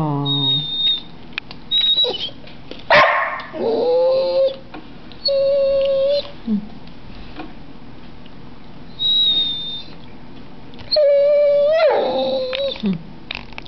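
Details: Pet dog vocalizing to ask for food while a person coaxes it: short sustained whining tones and quick yips, interspersed with human speech, a few thin high-pitched squeaks, and handling noises.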